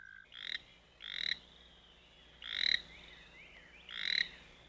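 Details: Toad singing and croaking: short nasal bursts about half a second long, repeated roughly once a second with uneven gaps, each rasping and bright, with faint background trills between them.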